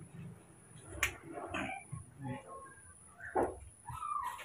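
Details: Young rescued monkeys Moni and Mino, jealous and nosy while newborn baby monkeys are tended at home, give short high squealing calls that rise and fall, among soft Indonesian speech and handling noises indoors.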